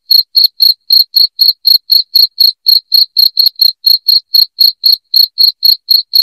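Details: Loud, piercing cricket chirps, intended to chase rats from a house, repeat at about four per second with a regular, slightly uneven beat; the background is otherwise quiet.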